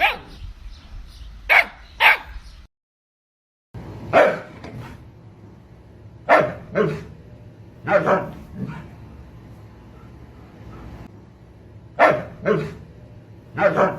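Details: Siberian Husky barking in short, sharp bursts, sometimes in pairs, with pauses of a second or more between them and a brief break in the middle of the run.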